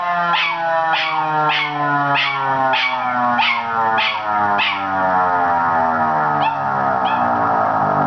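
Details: ['Miniature schnauzer Zig, a male aged 8 months, gives a string of short falling yelps against a loud, dense siren drone; the yelps fade out partway through.']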